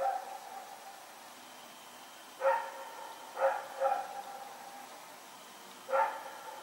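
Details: Barking from Rex the dog at night, recorded September 21, 2018, while running around: three to four short harmonic barks, two grouped closely around the middle and a single one near the end, with low steady hum between.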